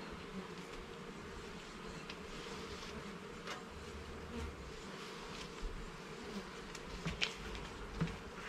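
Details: Honey bees in a garden hive during an inspection of its levels and frames: a steady, dense droning hum, low and even throughout, with a few faint soft taps and rustles near the end.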